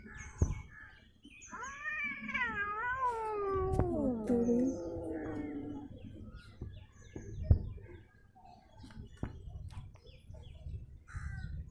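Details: Domestic cat letting out a long, wavering caterwaul that rises and falls over several seconds, then fades; music plays and people speak Tamil around it.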